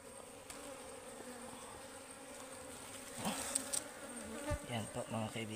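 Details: Wild ligwan honeybees at a forest hive during honey harvesting, the colony said to be very fierce; a steady low droning buzz with a clear hum and overtone, broken near the end by handling knocks and rustling.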